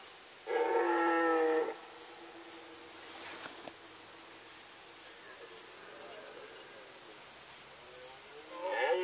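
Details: A loud, steady, harmonic red deer roar of just over a second from the 2018 rut in the Sandomierz Forest. Quiet woodland follows, then another roar begins at the end.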